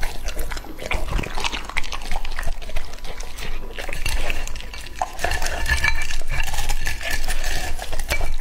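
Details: Raw meat being eaten by Lucky, a two-and-a-half-year-old male English-type Labrador. Continuous wet lapping, gulping and chewing noises grow denser in the second half.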